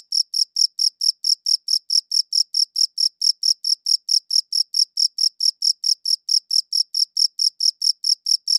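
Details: Crickets chirping, recorded on a good audio recorder: a steady train of bright, high-pitched chirps, around four a second, very regular, with a quiet background.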